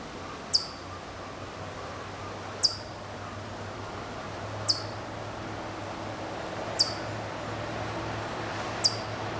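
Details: Hokkaido chipmunk calling from a distance at Maruyama, Sapporo, Hokkaido, Japan, September 2014. Five crisp, very high chips, each sliding downward, repeat about every two seconds over low hum and steady hiss.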